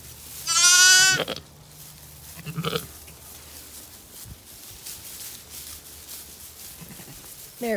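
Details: Zwartbles ewe on a regenerative farm in County Kilkenny, Ireland, just after lambing twins unaided, gives one loud wavering bleat near the start; softer short bleats follow, with light background noise and a brief rising call at the end.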